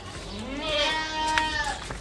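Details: Aradi goat giving one long, nasal bleat that slides upward, then holds a steady, wavering tone for about a second before fading, with men's voices talking just before and after.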